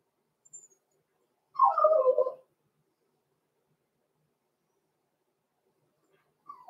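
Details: Blenheim Cavalier King Charles Spaniel puppies at six weeks old, Roman and Blue, from a small litter born November 14, 2022, in an indoor puppy pen. One falling, whimpering yelp near a second long, then quiet and the start of another cry.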